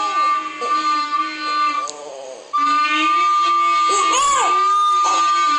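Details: A Boston Terrier gives drawn-out, whining, voice-like yowls that bend up and down in pitch, sounding as if it says "shut up".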